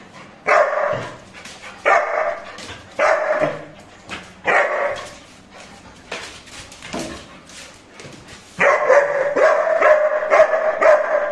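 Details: New Labrador puppy giving hoarse barks, four spaced about once a second, a quieter gap, then a sustained burst of rapid barking and whining over the last three seconds.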